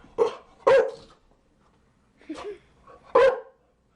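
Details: Chow Chow giving four short, sharp barks in two pairs separated by a brief pause.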